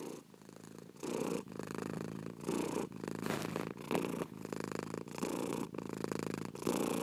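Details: Cat purring softly at first, then louder rumbling bursts alternating with short pauses at each inhale, around one breath cycle per second.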